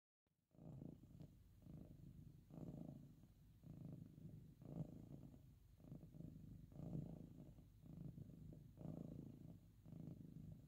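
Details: Domestic cat purring loudly while resting or being petted, a low continuous rumble swelling and fading in slow breaths about every two seconds, quiet indoor background.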